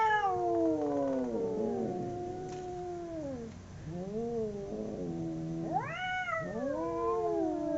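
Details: Domestic cats in a fight, two of them howling: sustained nasal yowls sliding slowly downward and wavering, voices interweaving, then a sharp upward-swooping louder wail followed by overlapping drawn-out cries.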